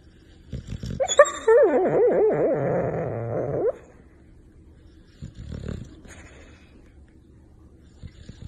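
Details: Rottweiler making a wavering, yodel-like moan that rises and falls in pitch for nearly three seconds. It then stops, leaving a quiet room with a few soft thumps.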